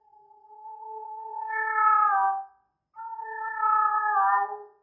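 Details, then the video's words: Female cat in heat, possibly Persian, utters two long wailing meows, each building slowly in loudness over about two seconds before breaking off, separated by a brief pause. "cat in heat sounds female"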